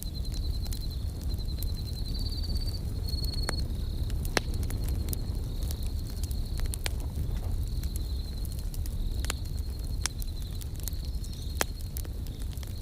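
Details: Steady high cricket chirps run in short pulsed bursts near a campfire. The bursts are loudest early on, then settle into a thin continuous trill. Loud snapping crackles and a low roar from the fire dominate the mix.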